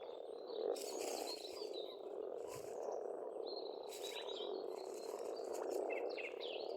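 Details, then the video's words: Many frogs calling at a pond in spring on a farmstead in Estonia, their overlapping croaks merging into a thick unbroken chorus, with scattered bird chirps and short whistles above. "пение птиц и лягушек"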